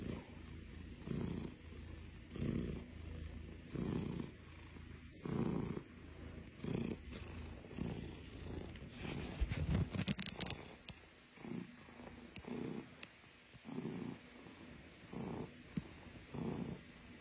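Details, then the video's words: Blue, a Russian Blue cat, purring in low rumbling pulses that come in somewhat uneven bursts, some longer and some shorter, with a faint rustle or brief handling noise near the middle. "blue (russian blue cat) purring lots"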